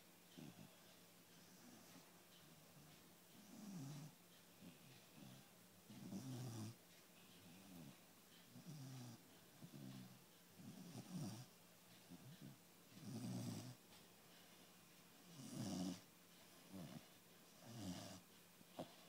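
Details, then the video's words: Chocolate Labrador Retriever puppy, 110 days old, snoring during a nap: low rumbling breaths repeating roughly every two to three seconds, some louder snorts near the end, in a quiet room. "110days old chocolate Labrador puppy nap time"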